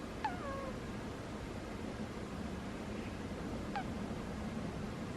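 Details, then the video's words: Domestic cat asleep, its snores coming out squeaky: a brief high squeak that slides downward near the start, then a second short squeak about three and a half seconds later, against constant low hiss. "Cat snores are squeaky"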